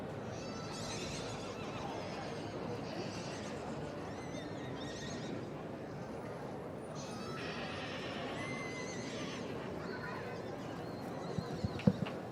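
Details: Welsh Cob brood mares at a show, one or more neighing in short harmonic whinnies near the start and again midway, over a steady wash of show-ground crowd noise and a few sharp knocks near the end.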